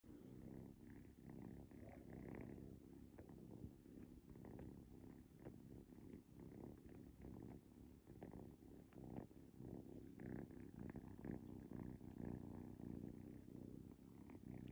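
A domestic cat purrs steadily, a low rumbling vibration that pulses continuously with each breath.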